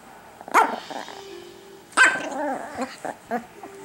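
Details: Chiquita, a small pet Chihuahua playing her nightly toy game at home, gives two sharp barks about one and a half seconds apart, followed by short yips and a woman's voice.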